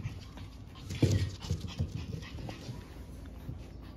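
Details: French Bulldog puppies, siblings born on 14 March, growing up healthy indoors; short low snuffling, grunting breaths cluster around the first second, then softer breathy puffs recur faintly through the rest.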